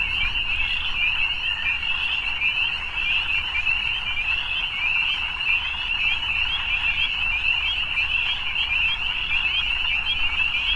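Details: Frogs calling in the evening, a thick, continuous wall of rapid high trills from many animals at once, holding an even level throughout with a soft low background hum.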